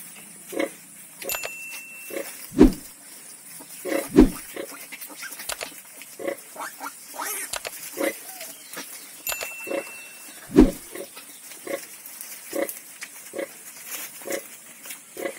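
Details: Pigs on a farm where ten piglets were born, giving short low grunts at irregular intervals, several louder ones standing out against a steady background hiss, with occasional clicks and knocks.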